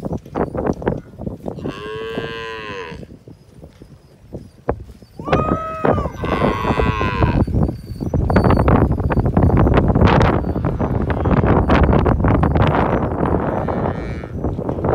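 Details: Hereford cattle with calves bred to registered Brahman bulls. Two drawn-out, harmonic moos, one near two seconds and a second that rises and falls near six seconds. A long stretch of loud, broadband rumbling and clattering follows.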